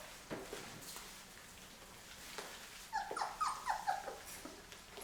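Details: Labrador retriever puppies from Mocha's litter, day 23, indoors during their first meal of puppy food; a quiet stretch with soft clatter, then a burst of high, falling whimpers repeated rapidly for about a second near the end.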